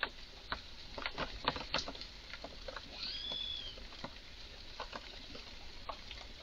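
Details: Strange calls from an agitated red squirrel in a garden: quick irregular clicks and chucks, about three or four a second, with a single arching whistled squeal midway.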